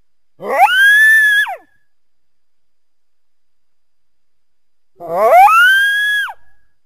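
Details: On a winter day a coyote calls to a backyard from among the trees: two separate howls several seconds apart, each rising quickly from a low rasp to a sustained high tone and then dropping away sharply at the end.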